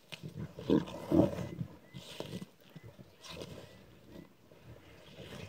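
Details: Lions of a six-strong pride on Kwandwe Private Game Reserve, South Africa, fighting over a freshly killed warthog at dawn, phone recording; two loud harsh snarls early, then softer growling bursts.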